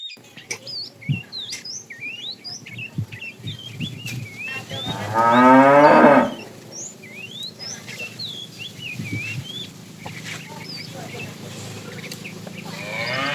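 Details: Fat bull in a tame herd being driven in the afternoon, calling to a female: one loud, harmonic-rich moo of about a second, rising then falling, with small birds chirping steadily throughout.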